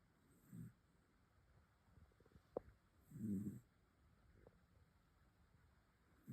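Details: Snoring from a sleeping dog: deep, rough rasping breaths recur roughly every three seconds, with a couple of small sharp clicks between them in an otherwise quiet indoor setting.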